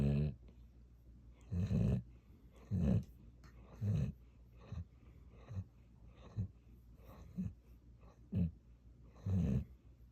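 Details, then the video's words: Gyeoul the dog snoring in a lullaby-style recording: short, throaty low snorts roughly once a second, uneven in length and loudness, separated by soft breathing in a quiet room. "겨울이 코골이 자장가"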